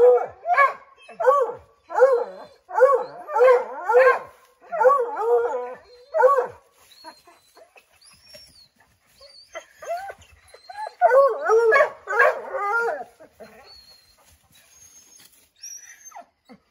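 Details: A pack of Redbone Coonhounds baying up an oak where a chipmunk has taken refuge; bursts of quick, overlapping barks, a quiet gap with faint bird chirps, then another burst of baying.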